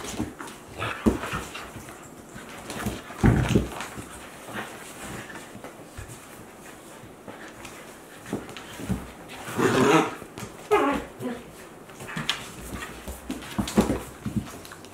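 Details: Two Akita Inu dogs, one 14 months and one 2-month-old puppy, playing together indoors; broadband rough growling and grunting bursts near three and ten seconds, with scuffling and panting noises between, no music.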